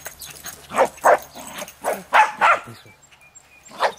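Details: Leashed Jack Russell Terrier playing with a ball for the first time near a highway; five or six short, sharp barks in quick pairs, followed by a pause and a single final bark.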